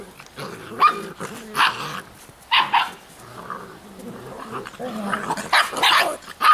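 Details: Giant Schnauzer puppies from the Blackmoore N litter give about five short, harsh bark-yelps with whiny harmonic overtones, spaced roughly a second apart, mixed with low growling between bursts.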